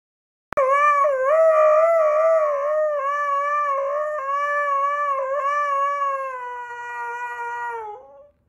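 A husky gives one long, sustained howl that wavers slightly in pitch, then slides down and fades.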